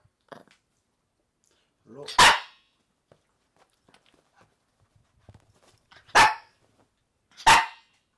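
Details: Maltese dogs occupying a bed indoors, a pair and their daughter; three sharp isolated barks spread over several seconds with quiet gaps and faint rustling between them.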